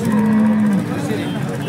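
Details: Holstein Friesian cattle at the Peth Vadgaon cattle market in Maharashtra; a brief, flat, low moo opens the moment, followed by market chatter and voices.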